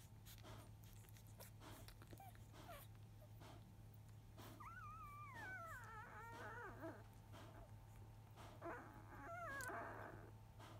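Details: Field-line Labrador Retriever puppies, five days old, just after nursing in the early afternoon, indoors with their mother; thin whining whimpers with wavering, sliding pitch around 5 to 7 seconds and again near 9.5 seconds over a steady low hum.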